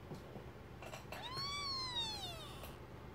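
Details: Newborn kittens, one of a first litter of four, two red striped and two black striped, with their mother indoors; a single thin, high mew rising then slowly falling, over a low background hum.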